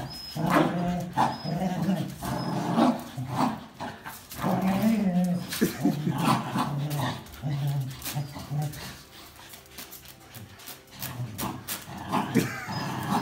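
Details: Tug-of-war over a towel between a Jack Russell Terrier and two Border Collies, one black and white, one red and white; throaty growls and gruff snarls pulse repeatedly, fading toward the end, with scattered human speech.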